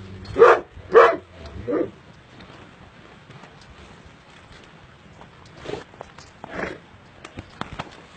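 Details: Amateur recording of a purebred Illyrian shepherd dog (Sharr dog) barking three times in a row, deep and forceful. Quieter sounds follow after a pause of several seconds.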